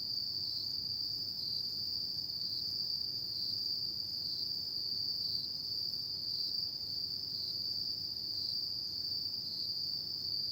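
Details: Continuous high shrill trilling of autumn insects at night, evenly sustained with subtle periodic fluctuations, over a quiet low background rumble.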